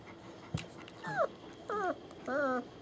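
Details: German Shepherd puppies born 28 January 2015, recorded 21 February 2015 at a family kennel in Mayo, Florida: three short high whines, each sliding down then curving, about half a second apart, after a single sharp knock.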